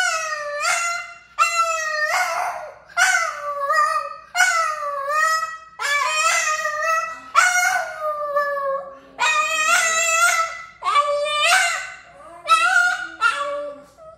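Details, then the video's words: Boston, an exceptionally vocal Boston terrier, sings in a run of about ten short harmonic howls, each roughly a second long, rising then sliding down in pitch, separated by brief pauses, with quieter lower notes near the end. "Singing Boston Terrier Montage"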